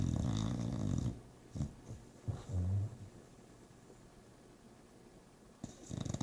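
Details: Bulldog snoring while asleep indoors: deep, rasping low snores in uneven bursts, a long one at the start, shorter snorts around the middle, and another rumbling snore at the end, with quiet breathing gaps between.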